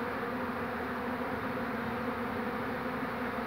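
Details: Honey bee swarm on 2 June 2019, just after the beekeeper catches the queen. A dense, steady, low droning hum of many bees fills the whole stretch without a break.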